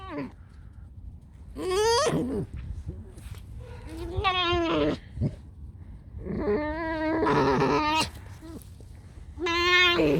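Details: Freshly woken pet fox named Alice squeals loudly in harmonic, wavering bursts roughly every two seconds, some long and trembling, others short and bent downward, over faint music.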